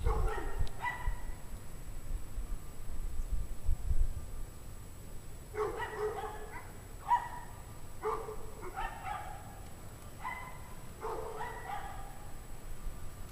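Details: A pack of dogs on a freezing January 9, 2009 evening at 5 PM, 17 degrees Fahrenheit, barking from a distance in short bursts, several yelps following each other in clusters, over a steady low rumble of background noise.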